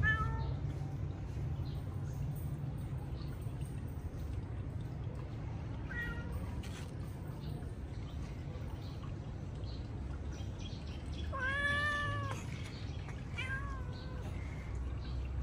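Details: Domestic cat meowing during everyday activities: a few faint short mews early on, then a clear, drawn-out harmonic meow near the end and a shorter one after it, over a steady low rumbling background.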